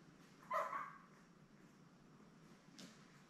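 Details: A single brief, sharp yip breaks the quiet, followed later by a faint soft rustle. It comes from the Labrador Retriever litter of seven newborns with mother Belle, born May 24, 2021, on a live puppy cam.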